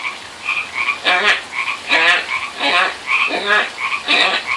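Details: Pacific tree frogs calling by a pond in answer to a person, with pulsed, raspy two-part croaks repeated about once a second, alternating with short, clear tonal notes.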